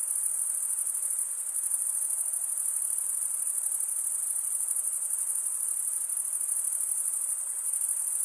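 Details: Continuous high, shrill cricket stridulation made by males scraping their wings together, heard as an even, rapid ringing trill that never pauses, with nothing else audible.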